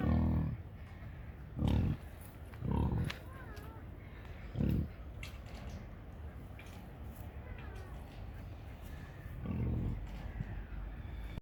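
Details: Burly big pig giving scattered deep, hoarse grunts, several close together early on, then a long quiet stretch before one more low grunt, with faint high chirps behind.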